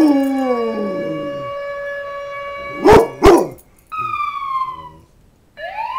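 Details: Rottweiler. A Rottweiler starts with drawn-out, sliding howls that drop in pitch. Two abrupt barks break in, followed by a falling whine and a short upward-sweeping yelp.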